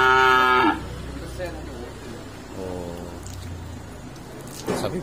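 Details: Newly bought karapan sapi racing cattle collected at Dungkek harbour: a short loud moo at the start, a fainter drawn-out lowing near three seconds, and people talking around the animals.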